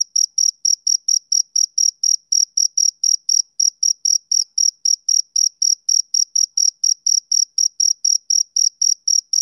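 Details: Steady summer-evening chirping from a male cricket: quick, clipped, high trills pulsing close to four per second. Spacing is slightly uneven. No other noise.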